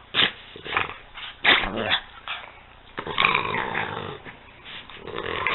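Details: Peanut and Daisy, a pair of dogs at play, trade short gruff growls in uneven bursts, a few sharp onsets standing out, with a brief human voice faintly in the background.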